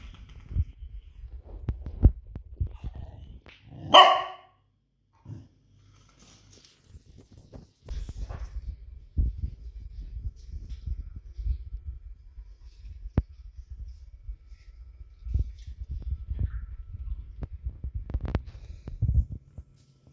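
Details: Cardigan Welsh Corgi, recorded 3 November 2022, barking to invite play with a ball: one loud sharp bark about four seconds in, otherwise low thumps, scuffs and knocking from movement nearby.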